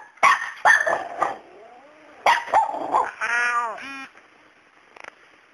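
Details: Facing a fearless cat called Miracle, a male dog lets out a run of sharp barks, then a drawn-out tonal whining note, followed by quiet.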